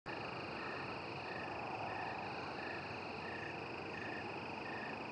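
American toads give long, steady musical trills, several voices overlapping into a continuous ringing chorus.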